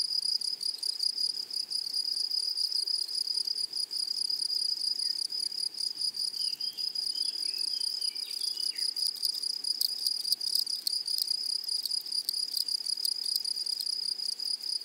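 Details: A dense, unbroken high-pitched shrilling fills a flowery meadow where grasshoppers sing, steady throughout, with a brief faint chirping bird in the middle and soft rustle below.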